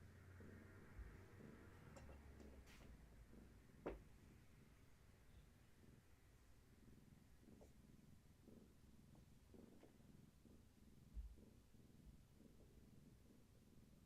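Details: Gaia, a long-haired tabby cat pregnant with many kittens, purrs indoors in the afternoon while rubbing herself against a person holding her steady. The purr is a low, continuous rumble of rapid pulses, with a few faint clicks and knocks.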